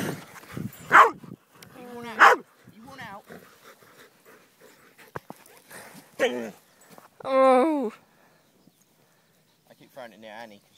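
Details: Walking with six dogs (Dixie, Honey, Oliver, Jumbo, Annie, Bear) while someone throws a toy: loud, abrupt barks ring out at irregular intervals, about three strong ones, between stretches of a person talking and calling commands.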